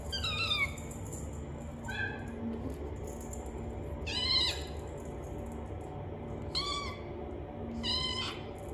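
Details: Bengal kittens, brown and silver, born 2 July, bred in Turin, Italy: several short high meows with rising-falling harmonics, about five calls spaced irregularly over nine seconds, over a steady low hum.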